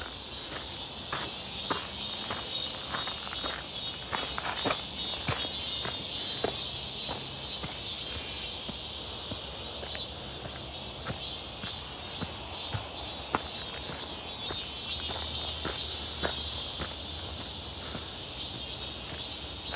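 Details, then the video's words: Midsummer cicada chorus near Seonbawi on a clear, hot 1 August 2023, recorded while walking: a continuous high, hissing buzz that swells slightly in places, overlaid by frequent crunching footsteps roughly twice a second. "산책 부쩍 많아진 매미소리 한여름에 뜨거움 예상"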